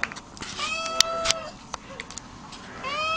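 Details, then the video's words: Pet cat being coaxed to wake, letting out a drawn-out level meow, then a rising meow at the end, among a person's speech and small clicks. "Talking Cat"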